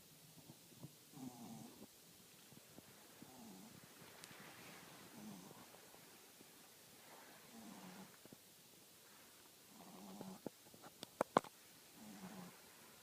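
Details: Quiet rhythmic snoring from a French Bulldog, about six wheezy, rattling breaths spaced roughly two seconds apart, with a few faint clicks toward the end.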